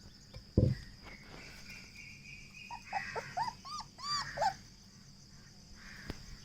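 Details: Double-coated German Shepherd puppy, 23 days old, gives a quick string of short, arched, high whimpers in the middle of the recording. A dull thump comes just before them, over a steady high hiss.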